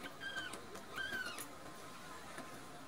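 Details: Two rescued baby kittens, Nan-chan and Cookie-chan, full and drowsy after drinking milk; two short, thin, high squeaky mews, each slightly falling, about 0.7 seconds apart, followed by quiet with faint rustling.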